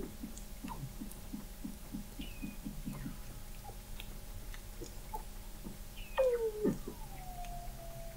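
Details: Weddell seals below sea ice at McMurdo Sound, Antarctica, November 2017, observatory 21 m deep: a run of low pulsed grunts in steady rhythm, scattered faint chirps, then a loud short downward-sweeping whistle followed by a gliding tone.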